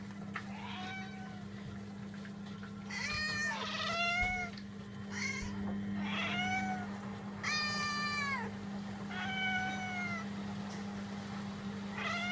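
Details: Pet cats meowing indoors: a series of drawn-out, harmonic meows, some rising then falling and others slurred downward, about eight calls spread over twelve seconds, over a steady low electrical hum.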